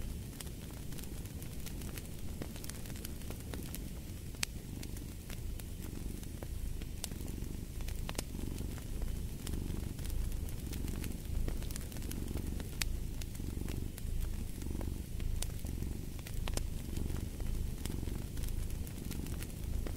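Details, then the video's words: Low, rolling cat purr with gentle swells in loudness, layered under frequent crackles and snaps from a fireplace. "Purring of a Cat"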